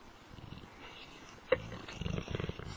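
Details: Kujo, a Dogue de Bordeaux (French mastiff), playing with the household cat NaLa: after a quiet start, a sudden sharp low outburst comes midway, then a run of rough, pulsing growls to the end, with faint household background.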